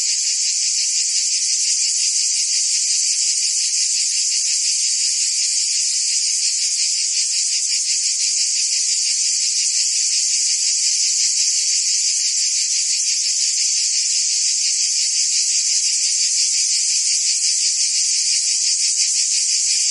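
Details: Summer chorus of cicadas in Provence, France, a constant shrill hiss-like buzz with rapid pulsing texture that never pauses over twenty seconds, loud and even, with no birds, voices or wind standing out.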